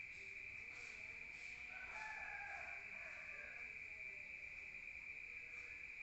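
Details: Crickets at night in the countryside, heard from inside a room: a steady, unbroken high-pitched ringing drone, with a fainter rising-and-falling crow-like call in the middle that resembles a distant rooster.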